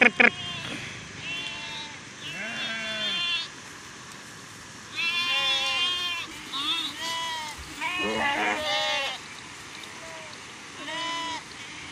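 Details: Herd of sheep and goats of Maldhari Rabari herders running after seeing a train; many overlapping wavering bleats in bursts, some long and quavering, with people talking and a steady background rumble.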